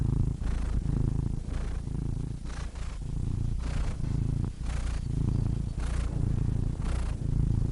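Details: Domestic cat purring steadily, a deep low rumble in alternating breaths, inhale and exhale phases about once per second, with soft broadband breathy bursts between strokes; no other sounds.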